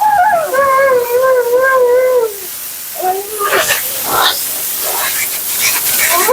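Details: A talkative female Siberian Husky named Mila during grooming gives a sustained wobbling howl for about two seconds, then brief whines amid splashing, spraying water and handling noise.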